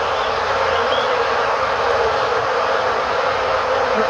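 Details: Honey bees flying about beside their hive, recorded with a camera set in front of it. A dense, steady, even hum fills the whole clip without pauses, like a broad continuous drone from many bees at once.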